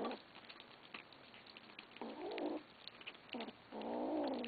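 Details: Feeding kittens growl at one another over food: two harsh, wavering growls, the second longer, separated by brief quieter bursts amid soft clicking eating sounds.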